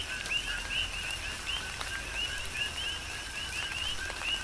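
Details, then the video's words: Big Island, Hawaii, in a rain shower: many coqui frogs calling together, each a quick low note followed by a higher upswept chirp, tightly repeated and overlapping, backed by continuous rainfall and splashing drops. "Tropical Rain & Coqui"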